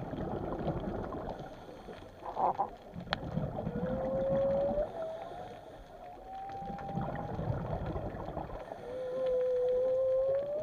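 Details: Undersea whale calls: a sharp knock, then a series of long, clear, slowly rising tones, each drawn out for a second or more, over constant low watery rumbling.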